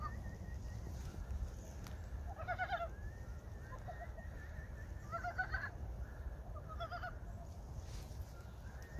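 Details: Early-spring frogs at Gyeongchip give clustered bursts of rapid, pulsed croaks every few seconds, with quieter gaps between them, over a steady low-pitched background rumble.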